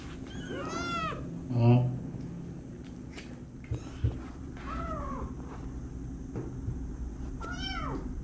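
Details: A stuck kitten meowing: high, arched meows near the start, around five seconds and near the end, with a low steady hum and a few soft knocks between calls.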